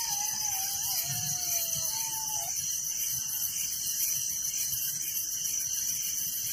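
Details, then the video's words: Crickets chirping at night in a village: a dense, steady high-pitched pulsing chorus with a constant shrill ringing tone, while a few clear, slightly wavering whistles sound lower in the first two and a half seconds. "Relaxing Night Crickets Sound in Village"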